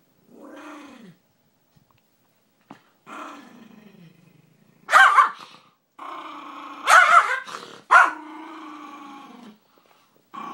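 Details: An aggressive pet dog growling: long low rumbling growls with falling pitch, broken by sharp loud barks or snarls around the middle, then a sustained growl fading out.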